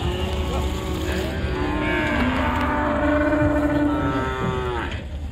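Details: Cattle at a busy village cattle market, being unloaded near a riverside; a long, drawn-out harmonic moo runs through the middle of the clip over steady crowd and market noise.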